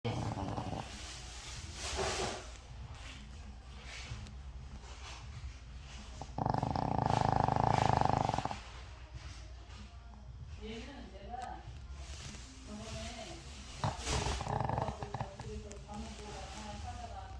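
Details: A 13-year-old Shih Tzu in deep sleep gives one loud, fluttering snore of about two seconds midway, a rapid buzzy rattle likened to digging the ground, between long stretches of quiet breathing and faint room sounds.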